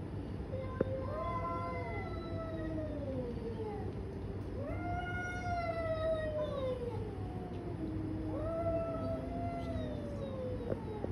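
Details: Fighting domestic cats trade long, drawn-out yowls, three swelling wails that rise, waver and slowly sink in pitch, each lasting several seconds with rich overtones, over a steady low hum.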